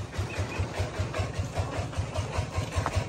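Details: A low, idling engine thumps in a steady beat about two or three times a second, with no insect or other animal sounds.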